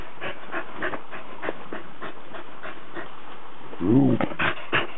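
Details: Cardigan Welsh Corgi, 19 December 2008: a single short, low, harmonic bark near the end, preceded by a run of dry clicks and handling noise.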